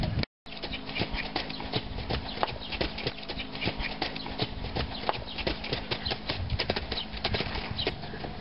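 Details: Hoofbeats of a four-year-old stallion sired by Sandro Song: a dense, fairly irregular run of sharp thuds and clicks, with a steady low hum underneath and a brief dropout near the start.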